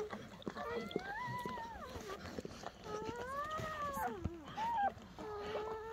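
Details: German Shepherd newborns in Betty's litter, first night after birth under a dim camping light: long, smooth arched whines that rise and then sag, plus a short sharp squeak, over low murmured speech and rustling.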